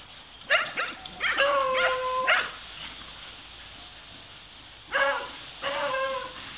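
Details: A beagle bays in loud, harmonic, slightly wavering barks: a cluster of three held bays in the first seconds, a pause, then two more drawn-out bays close together.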